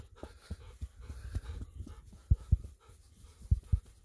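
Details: Golden Retriever Ibuki, a dog in winter coat moult, after running in rice fields under a cloudy sky; low, breathy panting pulses, uneven, about fifty a minute, with a few louder bursts near the end.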